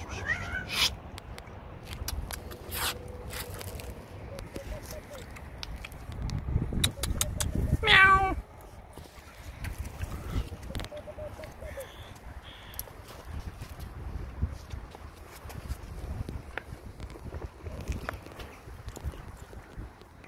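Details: Hungry homeless stray cats fed Turkish food at night, giving a few short meows among clatter, rustling and low street noise, with a loud burst of clinking near the middle and a brief spoken remark.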